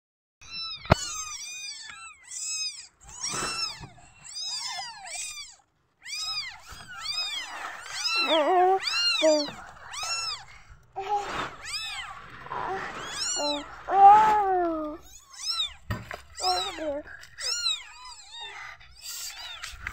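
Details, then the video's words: Newborn kittens meowing when they feel insecure, several overlapping high arched mews repeated rapidly, some rising then falling, a few lower drawn-out cries in the middle, quiet indoor background. "قطط صغيرة حديثة الولادة تموء عند احساسها بعدم الطمأنينة"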